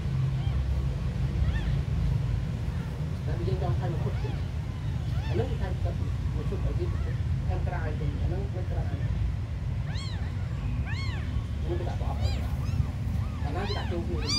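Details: Abandoned kittens, among the smallest, with indistinct sounds early on, then clear high arched mews clustering toward the end, repeated in quick bursts over a steady low droning hum.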